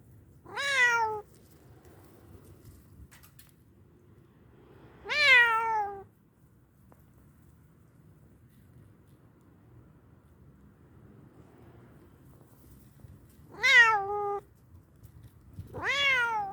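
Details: Indoor house cat giving four short, bright meows that fall in pitch, two close together early and two near the end, with long quiet gaps in a small room.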